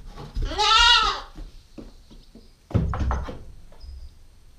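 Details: Nubian goat kid, a nine-week-old female, filmed on a GoPro stakeout: one loud wavering bleat near the start with rich stacked harmonics, followed by knocks, rustling and a shorter rougher bleat.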